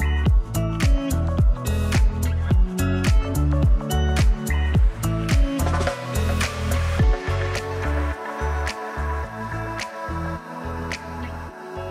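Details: Electronic music with a strong repeating bass beat fills the whole stretch, and no animal sounds are heard.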